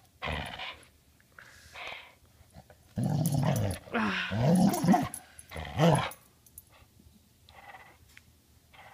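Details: Border Collie that won't drop its ball, grumbling in low, rough growls and throaty yowls over a few seconds, overlapping a woman's voice telling it to drop it.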